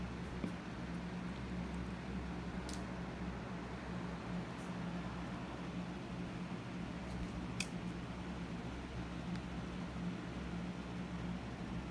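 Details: Low fan hum and faint room noise continue with a few soft clicks; no animal voice is heard.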